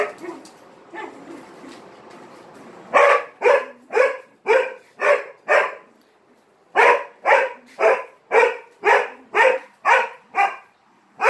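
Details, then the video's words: Dog barking for attention while playing with three Malinois; after a few seconds of quieter sound, loud sharp barks come in two rapid runs of about eight, roughly two per second, with a short pause between. "He bark too much for attention!"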